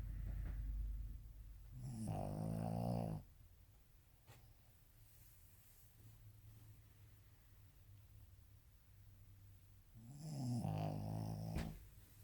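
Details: Ojikō-chan, a Shih Tzu dog, snoring indoors: two loud, raspy snore bursts about eight seconds apart, each lasting around a second, with low rumbling breathing in the quiet stretch between.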